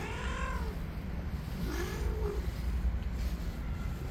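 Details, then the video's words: A white cat, angry and in attack mode, gives two tense meows: a short, high, falling cry, then a longer, lower, wavering moan. A steady low rumble of traffic runs underneath. "Angry White Cat in Attack Mode Today"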